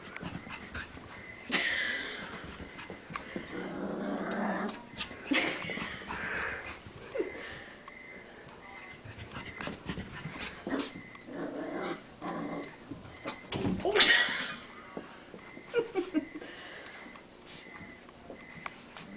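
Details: Cavalier King Charles spaniel puppy fighting his own reflection in a mirror and running in circles; scattered rough, noisy growling bursts and scuffles at uneven intervals, with a few short sharper yaps and a woman's voice in between.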